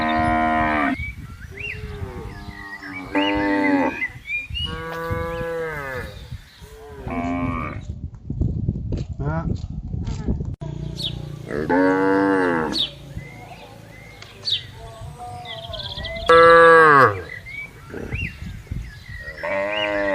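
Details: Cows grazing freely with buffaloes on a wide green rural pasture give long, deep, harmonic moos in repeated bouts, some drawn out and wavering, others short, with quieter grazing and rustling sounds between the calls.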